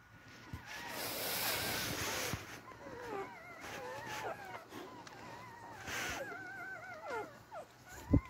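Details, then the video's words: Beagle puppies crawling toward their mother for milk, giving thin, wavering whimpers that rise and fall in overlapping strands, with rustling and bursts of handling noise between them. "Sweet cute beagle puppies crawling around for their meal to get to their mother"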